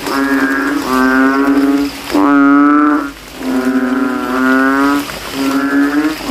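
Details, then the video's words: Kodok kintel, the banded bullfrog, in a puddle at a cemetery on a rainy night, puffing out its throat and vying with rivals: five loud, bassy, lowing calls in quick succession, one slightly longer and rising, with brief gaps. "GENANGAN AIR MENJADI AJANG LOMBA KODOK INI BERTARUNG SUARA KERAS"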